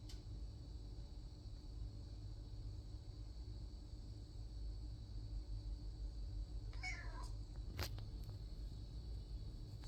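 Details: Domestic cat staking out a toy door indoors gives a single short, descending meow or mrrrp late in the recording, followed moments later by a sharp sneeze; a steady low hum runs throughout.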